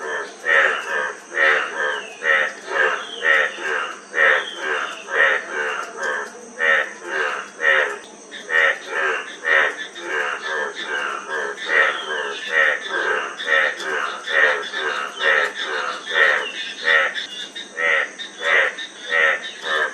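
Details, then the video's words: Frogs calling in a dense chorus: harsh, ringing croaks with buzzy overtones, roughly three every two seconds and often overlapping, over a steady high hiss. "Frog Sound--Frog Sound Effect 15 min"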